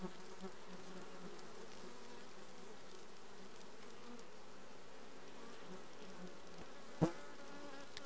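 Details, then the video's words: A requeened honey bee colony, June 2020, hums with a constant low, drone-like buzz from many insects, broken only by one sharp knock about seven seconds in. "Bees june 2020 requeened"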